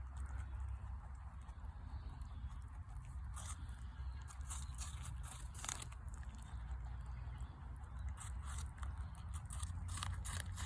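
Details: Rabbits eating an apple outdoors: scattered sharp, crisp crunches and bites come every second or so over a steady low rumble of background noise.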